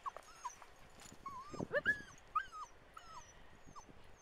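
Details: Several Manchester Terriers dashing around the Waxham dunes, 2012. Soft, fairly quiet whimpers, each curving upward then dropping, come in quick irregular succession over a low rumble of wind and background hiss.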